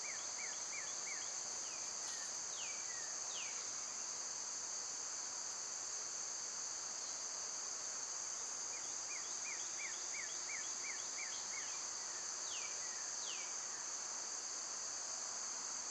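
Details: Continuous high, droning cicada song in summer, steady in pitch and volume. Birds add runs of rapid, short downward chirps, about eight in a row midway, plus a few longer drooping whistles.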